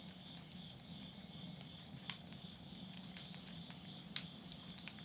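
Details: Midnight insect voices in rural Tottori, Japan, late summer 2020, heard from a house while wood burns in the stove. A faint, continuous high-pitched trilling drone persists under soft fire patter, with a few louder snapping crackles.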